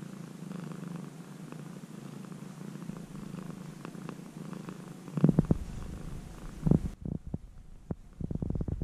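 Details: Former stray kitten, cared for near the home for about three months, purring softly in a continuous low throb. Clattering handling noises and sharp clicks take over during the second half, and the purr fades under them.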